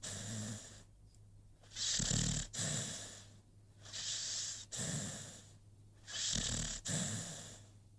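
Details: Rocky, an American Pit Bull Terrier, snores while asleep: hoarse, wheezy inhale-exhale cycles roughly every two seconds, the louder breaths rasping and hissing, in a quiet indoor setting.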